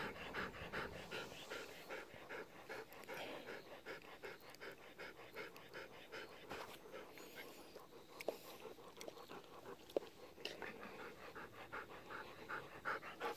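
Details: Golden Retriever panting during an evening walk while begging for still-unripe persimmons; fast breathy huffs around two to three per second, slightly uneven, with a couple of sharp clicks near the middle.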